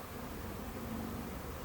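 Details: Thousands of swarming honey bees in a Huntington Beach backyard, gathering in a bush while searching for a new hive, a swarm that returns every year; a steady, dense, low droning hum over a hissy background.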